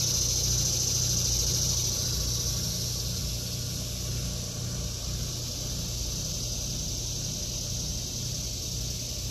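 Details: Summer cicada chorus in a vegetable garden in August 2023: a shrill whine at the start fades into a continuous high buzzing hiss, while a low engine-like rumble persists underneath.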